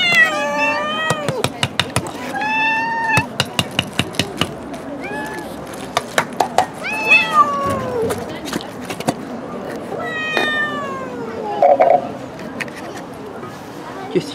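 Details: Stray cats living on the street. A series of repeated meows, some rising and some wavering, is mixed with sharp clicking and tapping sounds. A person talks to the cats in Turkish.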